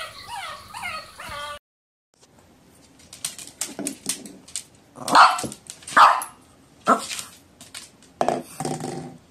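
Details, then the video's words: A puppy gives a thin, wavering whine, then after a brief silence a series of sharp, irregular barks and yips, the loudest near the middle. "PUPPIES BARKING - Cute Puppy Barking Videos Compilation || DOGS BARKING VIDEOS"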